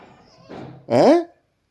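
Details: Domestic cat asking to be massaged after fighting or playing, indoors; one short harmonic meow that bends downward in pitch, preceded by soft rustling and a muffled voice.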